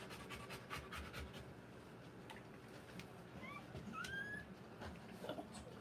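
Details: Rottweiler dog giving birth to puppies, breathing in quick, breathy, rhythmic pants through the first second and a half, followed by a few thin, rising whine-like squeaks and faint background rustling.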